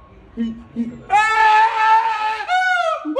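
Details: An adult male siamang at Higashiyama Zoo, Japan, singing alone since his female partner died, gives two soft low hoots, then a loud, harsh, wavering "old man's scream" in two long bursts.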